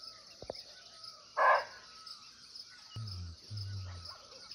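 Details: Wild muntjac, the barking deer, recorded nearby in natural forest in Nepal: a single brief, hoarse bark, followed by two low humming bursts, all over a continuous high-pitched insect chorus.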